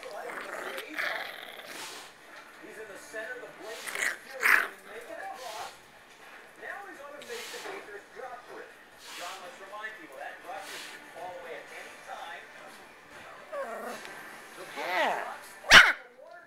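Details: Seven-week-old Dandie Dinmont Terrier puppies whining and whimpering with soft high squeaky cries, rapid wavering yelps repeated throughout, alongside people talking and a sharp knock near the end.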